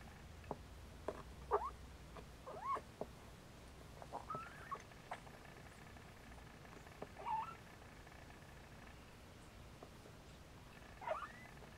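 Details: Siamese kittens trying to nap beside their mother Siamese cat, then nursing; several short, thin, rising mews come in scattered bursts at about two, three, four and a half, seven and eleven seconds over a quiet indoor hush with soft clicks.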